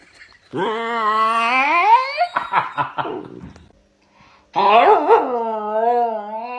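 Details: A dog's vocal yawn: a long whining tone rising then falling over about two seconds, breaking into rough huffs, then after a pause a second squeaky, wavering yawning whine.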